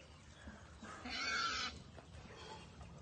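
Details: Caged wild boar on a Cambodian pig farm, startled, lets out a single harsh, noisy squeal lasting under a second over low background hum.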